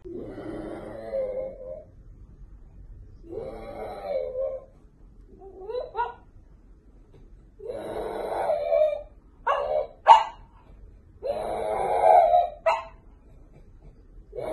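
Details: French bulldog puppies give drawn-out, moaning whines in bursts of one to two seconds, separated by short pauses, with a few brief sharp yelps toward the end, in a quiet indoor room.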